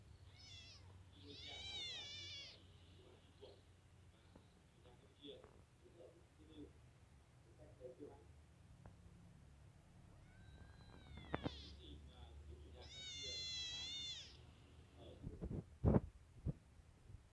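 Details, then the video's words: Two kittens crammed together while eating give two bursts of high, wavering meows, with chewing and rustling in between, a low hum underneath and a sharp knock near the end. "2 kittens happy to eat while crammed"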